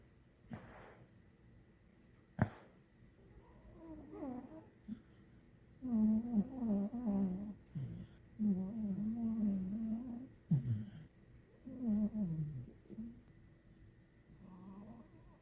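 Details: A sleeping dog, a dachshund or pit bull, snores in low, rattling, wavering bursts, each breath drawn out over a second or two.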